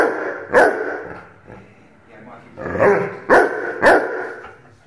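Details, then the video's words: An 8-month-old Rhodesian Ridgeback puppy gives a few sharp, loud barks, one early and then three in quick succession near the end, with a faint murmur of voices between them. "Rhodesian Ridgeback puppy barking"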